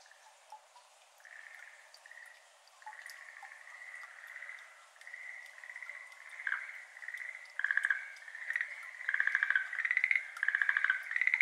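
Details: Quiet start of water drops falling into a flooded iris garden, then Schlegel's green tree frogs begin calling on a May evening in Japan; pulsed trills build steadily from faint to loud overlapping bursts.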